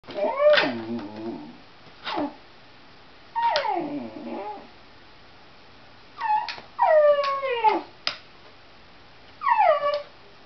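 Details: Pet dog whining hysterically, excited over a cat outside: high, tonal, downward-sliding whimpers in bursts of about a second, with quiet gaps between them and a few short yips.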